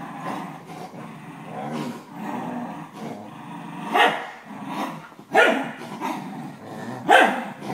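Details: 12-year-old corgi playing tug of war with a 4-month-old German shepherd puppy growls in a low, rumbling stream, broken by a few sharp barking bursts.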